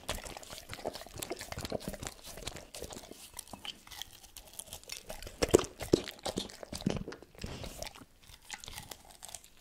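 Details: Tito the dog eats cordon bleu for a no-talking ASMR recording. Dense, irregular crunching and chewing bursts repeat rapidly, with a louder cluster of bites near the middle and quieter gnawing between.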